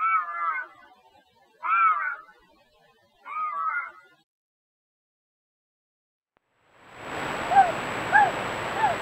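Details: Three short, wavering, cat-like bobcat howls in quick succession, offered as a repellent for raccoons and rodents. Silence follows, then a burst of loud broadband noise with faint chirps over it.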